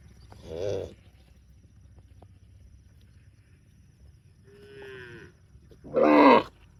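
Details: Tame cows outdoors calling: a short loud moo near the start, a softer drawn-out falling moo around five seconds, then a strong harsh moo at the end, with quiet gaps between.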